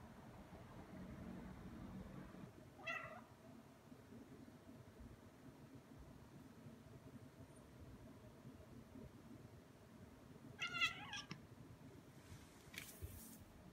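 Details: Indoor Ragdoll cat Aki, around two years old, harassing a bug in play; a short meow near three seconds, then a louder stacked meow around eleven seconds followed by a brief rustling noise.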